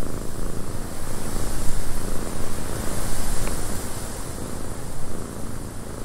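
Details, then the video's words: Steady low purr of a cat within a windy cabin, the rumble gently waxing and waning with each breath, masked partly by a broad whooshing wind hiss, one tiny click near the middle. "Cat Purring in a Windy Cabin"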